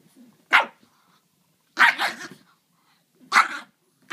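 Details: Dogs playing, a French bulldog and a griffon; three loud sharp barks roughly every one and a half seconds, with short quieter sounds between them and little else in the background.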